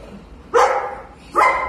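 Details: Walter, a golden retriever who slipped his collar and was lost in the woods for nearly a year, found in a basement and reunited with his owner: two loud, harmonic barks about 0.8 seconds apart, with faint background noise.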